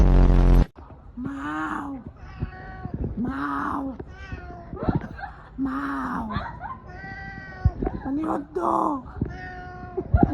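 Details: Cat giving a run of insistent meows, each an arched, nasal wail repeated about every second or two, opening with a brief loud noisy burst, a few shorter clipped cries near the end.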